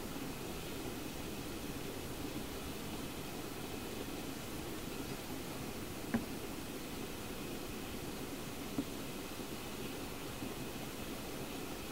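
Steady broadband rushing noise, like wind or distant machinery, with two faint brief clicks and no animal calls.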